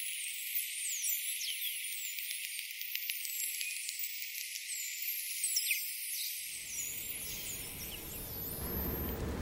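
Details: Atlantic white-sided dolphins underwater, heard through a hydrophone: overlapping high sweeping whistles and clicks for about six seconds, then fading as low rumbling noise takes over near the end.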